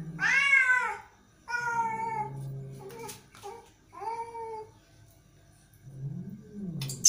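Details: Angry cat letting out three wailing meows that rise then sag in pitch, the first loudest, followed by quieter low rumbling and a brief sharp sound at the very end.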